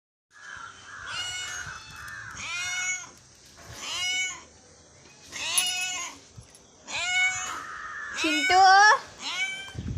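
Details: Hungry cat meowing in the morning. Long, loud, drawn-out meows come in five or six bouts, some rising then falling, some strained and wavering. A person calls softly between them.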